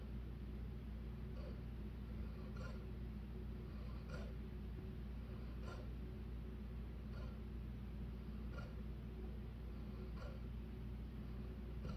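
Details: A low electrical hum runs throughout, with soft clicks about every one and a half seconds in a quiet room.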